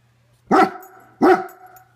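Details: German Shepherd with two loud, forceful barks spaced under a second apart, each rich in stacked harmonics and trailing off gradually; low steady hum beneath.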